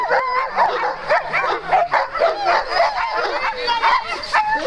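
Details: Many Alaskan Malamutes from sled-dog teams at the start line of a sprint race, 4 March 2012, bark, yip, whine and give howl-like cries in a dense, overlapping chorus, with brief human voices beneath.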